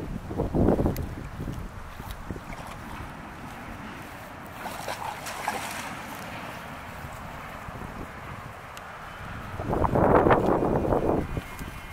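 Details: Outdoors by water, with wind buffeting the microphone and bursts of splashing.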